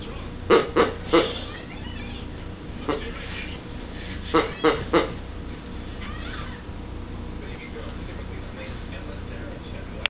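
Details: A Pekingese attacking its new toy before Christmas while it is being wrapped gives sharp, high yapping barks in quick bursts of three against a low indoor hum.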